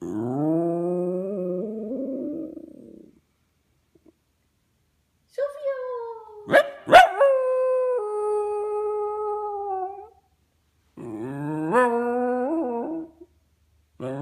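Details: Buddy, a 5-year-old pet West Highland White Terrier, howls for his best friends: three drawn-out, wavering, tonal howls rising and falling in pitch, separated by short silences, with a sharp click during the long middle howl.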